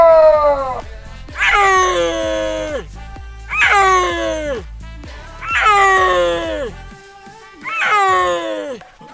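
An adult cheetah gives high, bird-like chirping calls that fall in pitch, about every two seconds.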